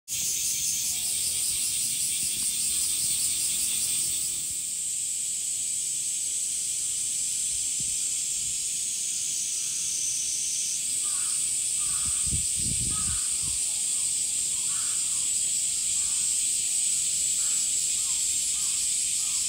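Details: Male cicadas singing in summer, a dense continuous buzzing hiss dominating the high range, steady throughout with a slight shift after about four seconds; faint bird chirps recur in the background and a few low thumps occur.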